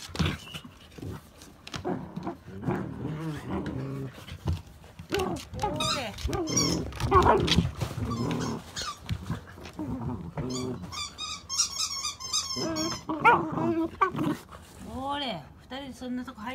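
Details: Akita dog being fostered until collection, playing lively on 10 July 2017; rumbling play growls and whining yips with arching tones, some squeaky high calls near the end, mixed with a person's voice and bumping noises.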